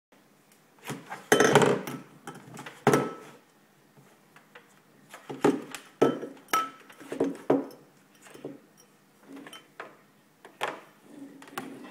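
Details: Bengal kitten's play with an empty glass: no animal voice, only scattered clinks and knocks of glass against a hard surface in a small room, in bursts of varying loudness.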